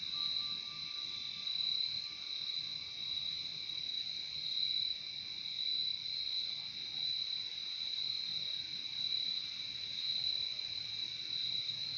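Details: Many crickets chirp in a dense, shimmering high trill that gently pulses for the whole stretch, backed by a quieter lower trill and a faint thin tone fading out early on.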